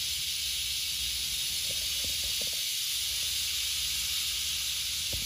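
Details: Western diamondback rattlesnake being relocated, rattling in a continuous high, dry buzz with no pauses, a few soft knocks and clicks underneath.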